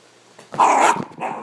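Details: West Highland White Terrier playfully hunting its owner, giving one loud, harsh bark of about half a second, followed after a brief pause by a shorter, softer second bark.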